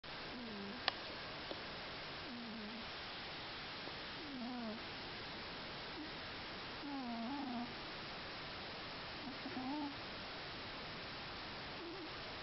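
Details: Scottish Fold cat snoring quietly in deep sleep, with soft, irregular puffs and little squeaky wheezes spaced a few seconds apart over a steady hiss of background noise.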